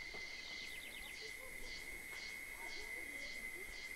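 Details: Caatinga scrub in Bahia's sertão, Brazil: a constant high cicada whine continues while a second hissing, pulsing buzz swells and fades about twice a second above it, over faint low rumble.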